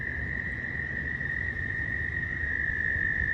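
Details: Close-range chorus of pond frogs in mating season, the animals swimming and moving nearer; a sustained, slightly wavering high trill carries on unbroken throughout, set against steady low rumbling wind.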